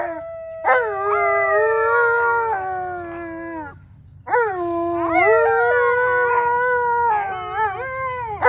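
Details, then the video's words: Tonka and Monroe, Alaskan Malamutes, howl together at home on St Patrick's Day; two overlapping voices hold long wavering tones that sag downward, pause briefly, then rise again into layered sustained howling. "Tonka & Monroe Howling"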